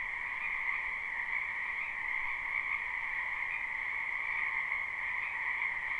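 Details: Wild wetland frogs in spring, recorded live without looping: a constant, even chorus of croaks blends into a smooth humming drone, with faint hiss beneath and only slight swells in loudness.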